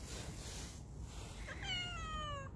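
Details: A single drawn-out meow from Ruby, a mischievous stray cat, starting high and sliding steadily downward for nearly a second after a quiet stretch; a person calls her name and asks if she wants to play.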